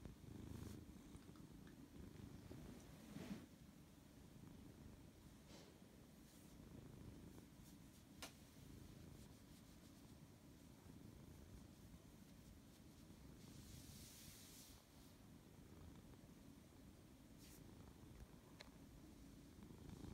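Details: Sleepy Siberian cat that does not want to wake up, purring continuously in a quiet room: a low, even rumble under faint clicks and rustles, with a short hissy noise burst midway.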